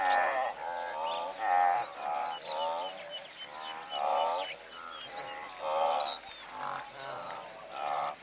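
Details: Medium-close recording of a herd of several hundred blue wildebeest: a steady chorus of overlapping nasal honks and groans in uneven bursts, with high lark song threading through.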